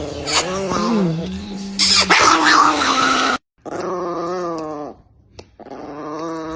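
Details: Chihuahua puppy giving drawn-out, wavering whines and howl-like cries in long harmonic bursts of one to two seconds, separated by brief silent gaps.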